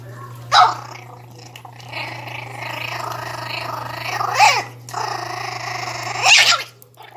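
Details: Young Pinscher, 60 days old, defending its food indoors: continuous buzzy growling rising into sharp bark-like bursts about every two seconds, with a low steady background hum.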